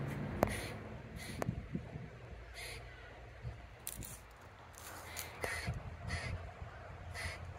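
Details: A grey squirrel in Oviedo, Florida, squawks over and over at a second squirrel, tail curled over its body. Short, harsh, rasping bursts come irregularly, about once a second, with a few low thumps outdoors.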